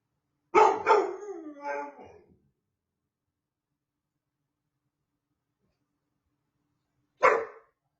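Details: First-ever howling attempt by a male puppy: a burst of rapid yips merging into a brief falling whine, followed after a long quiet pause by a single sharp yelp.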